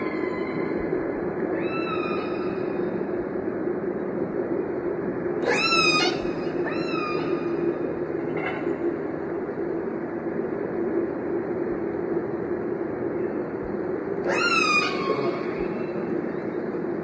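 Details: Killer whale calls: a few short, tonal, rising then falling harmonic cries around the middle and again near the end, with a fainter call earlier, all over a steady, broad background hiss.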